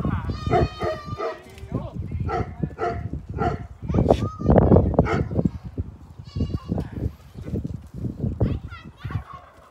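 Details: Goat bleating while being given A&W root beer: a wavering bleat at the start and a shorter one later, mixed with lively human voices throughout.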